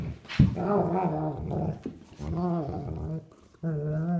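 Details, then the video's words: Two sable German Shepherds, a three-year-old and a nine-week-old puppy, playing indoors; a sharp thump, then wavering growls with whimpering overtones in three bursts, a faint voice underneath. "German Shepherd plays with puppy"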